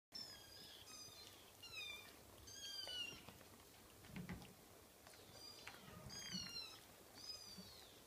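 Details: Scottish Fold kitten mewing in short, high, thin cries, each sliding downward, coming in quick bursts roughly every second with brief pauses between, over a quiet room hum.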